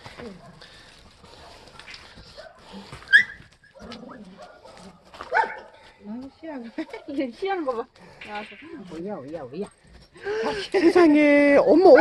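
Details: Sapsali puppies and their mother Suri, moved to foster care after being born at the Gimje shelter. Soft wavering whimpers build to a louder, sustained whine near the end, over background human talk.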